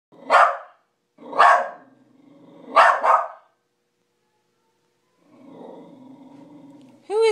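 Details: Pet dog barking at night at its own reflection as if at an intruder: three loud, harsh barks in the first four seconds, followed by a low rumbling growl, then a brief high voice at the end.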